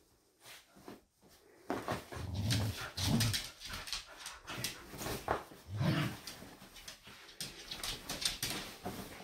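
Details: Dogs Doby and Blue wrestle over a blanket-wrapped toy in an indoor game. Throaty growls rise in brief bursts over constant scratching, thumping and fabric noise.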